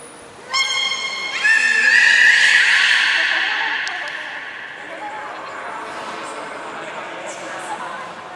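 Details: Beluga during a training session at Port of Nagoya Public Aquarium, July 11, 2020, with Taanya, Nana, Mirai and Niko: a sudden rich harmonic squeal begins, swells into a sustained bright tone, then slowly fades into a murmuring hall.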